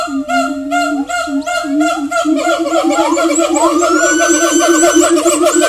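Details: Siamang (Symphalangus syndactylus), call.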